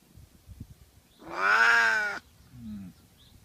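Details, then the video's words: A cat lets out one prolonged, harmonic-rich wail lasting nearly a second, steady then gently falling, followed by a brief soft low chirrup; faint rustling before it. "Strange Cat Sounds Compilation"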